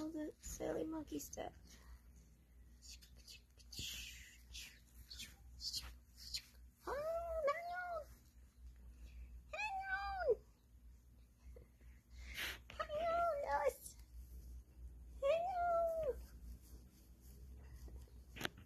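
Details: Capuchin monkey eating a tomato gives four separate arched, meow-like whining calls spaced a few seconds apart, with a person talking softly and handling noises in between.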